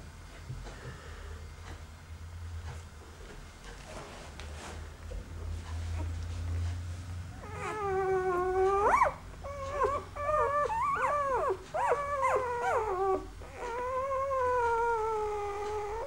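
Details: Hovawart puppies huddled together in a cozy heap. After a quiet start, thin whining whimpers rise and fall in pitch. They come in a loose string of drawn-out cries with clear overtones.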